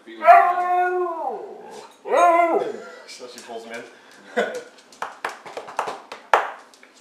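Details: A female Siberian Husky playing around with a person gives two long, wavering howl-like moans, followed by short yips and grumbles.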